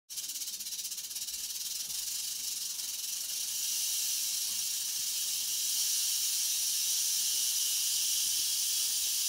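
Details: Western diamondback rattlesnake, Crotalus atrox, at a live feeding, rattling without pause: a dry, hissing, high buzz that stays steady and slightly grows louder throughout, with no other sounds.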